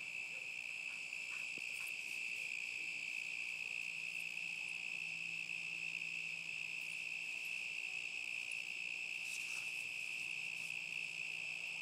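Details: Crickets on a summer night in 2010, a dog nearby; steady high, even trilling at one pitch, continuous without breaks, faint low hum underneath.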